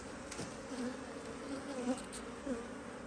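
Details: Busy honey bee colony in a Hive IQ beehive, Australia, almost mid-autumn 2023, during good weather as the hive is opened for an extra box; continuous humming drone with short louder buzzes as bees fly close.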